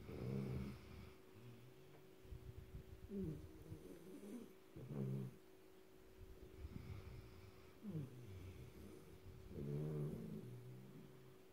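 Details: {'caption': 'Black Labrador Retriever puppy snoring loudly while asleep, one of a trio of Labradors; low, rumbling snores with brief wheezy upper edges, each lasting under a second, coming at irregular gaps of two to five seconds, plus a steady faint background hum.'}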